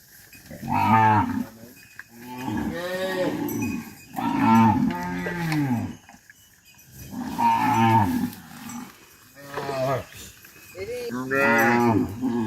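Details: Herded back to the farm pen, dozens of tame cattle keep up repeated overlapping moos, about six bellows in twelve seconds, varying in pitch, some rising and falling, with a busy farmyard background.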